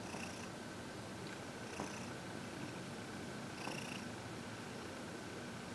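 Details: Purring from Heidi, a 14-year-old shelter-adopted cat described as happy, during massage and reiki indoors; three breathy pulses spaced unevenly across a few seconds over low steady noise.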